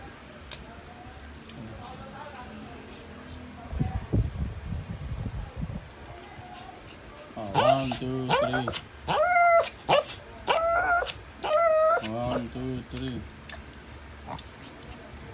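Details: Shih Tzu at breakfast, offered scrambled egg, dried fish and eggplant, giving a run of about six high, tonal whimpering whines in quick bursts in the second half, with people counting aloud in the background and quieter room noise earlier.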